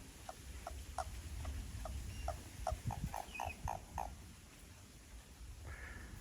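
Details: Japanese common toads behind a house, several becoming lively: a run of short mid-pitched croaking notes repeated about three times a second, fading out, over low rumbling background noise.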